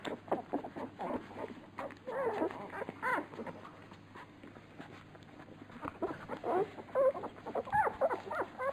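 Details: Labrador Retriever puppies at feeding time, nicknamed piranhas, make a busy jumble of short grunts, smacks and scattered brief squeaks, with quieter gaps midway and a few thin tonal whines near the end.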